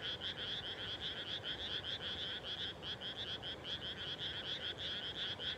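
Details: Chorusing frogs at evening after rice planting, countryside Japan; quick trains of bright, pulsing croaks from many frogs merge into an unbroken, rhythmic rattle.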